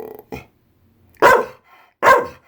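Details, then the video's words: Senior female Pit Bull, unhappy that it is raining outside, gives two short loud barks after a couple of faint softer sounds, while a woman talks to her about snacks and the rain. "Pit Bull isn't happy that it's raining out!"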